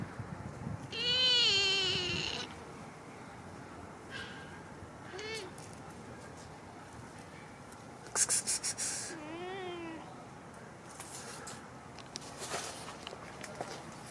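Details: Male kitten, hungry and without food, gives a long drawn meow, then shorter bent meows spaced several seconds apart, with sharp rattling clicks and light background hiss.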